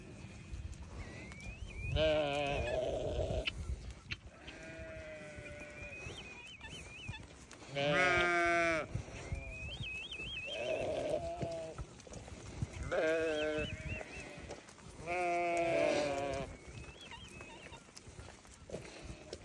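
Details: Newborn lambs bleating: a series of wavering, harmonic-rich cries recurring every few seconds, some short and quavering, others longer and louder, with high-pitched squeaky calls in between and a steady background rumble.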